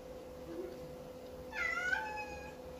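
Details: Persian cat confused and sad in its new home, indoors, giving a single drawn-out harmonic meow after a second and a half of quiet room tone, slightly falling at the end.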